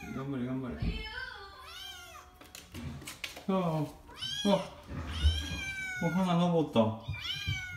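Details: Kitten Oiro inside a home while learning to descend stairs; several arched, wavering meows in quick succession, mixed with human speech.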